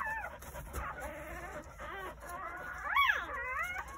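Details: Newborn Jindo puppies crying on New Year's Day at a countryside house, where the mother gave birth to nine pups between 8:30 in the morning and 1 o'clock; thin, high whining cries that rise and fall, overlapping from several pups.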